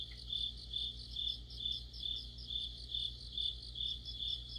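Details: Autumn insect chorus led by crickets beneath a streetlamp: a steady high trill pulsing about twice a second in regular bursts, with a fainter second band above it and a low hum underneath.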